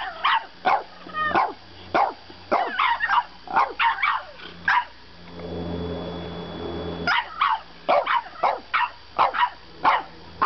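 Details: French bulldog puppy argues at bedtime with a run of short, sharp yapping barks and whiny yips, some rising in pitch, broken by a few seconds of a steady low rumbling noise before the barking resumes.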